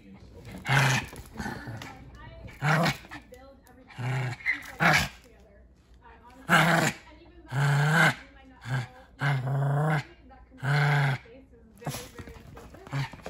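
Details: Rocky the Pomeranian teasing to play, giving short bursts of low growling and gruff play vocalisations in clustered pulses, several seconds apart, with a person talking between them.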